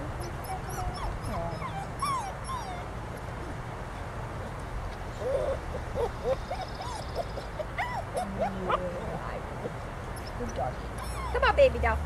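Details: Spice, a joyful Golden Retriever mix puppy up for adoption, gives soft, high whimpers and short yips scattered through the clip. A woman speaks quietly over a low background hum.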